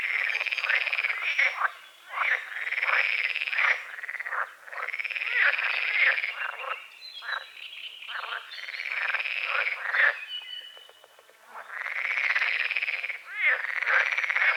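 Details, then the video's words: Frogs calling at dawn from a small lake beside a forest, among calamus and water lilies: loud, rasping croak bouts of one to two seconds, rising and falling, separated by short lulls, with a quieter gap near eleven seconds. "The sounds of morning frogs croaking"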